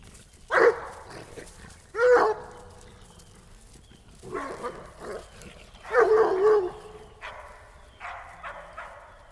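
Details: Coonhounds, three hounds with a toy rat terrier, on an ordinary day: repeated loud, ringing barks and drawn-out bays, some in quick pairs, with gaps of one to two seconds and fainter yips near the end.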